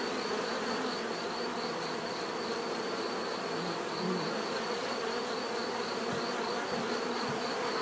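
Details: Bees buzzing in a steady, dense drone, many overlapping hums forming a continuous, unbroken wash of sound with a faint high tonal band pulsing above it.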